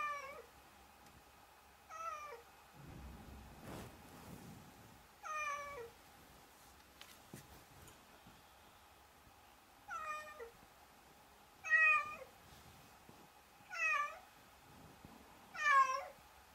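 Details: Domestic cat giving a series of seven drawn-out meows, each with a bending, falling tone, roughly every two seconds, with a few brief knocks and rustles between calls and a steady low hum.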